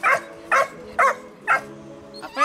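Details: A male Dogo Sardo puppy of about 100 days gives sharp, evenly spaced barks on command during training, about two each second.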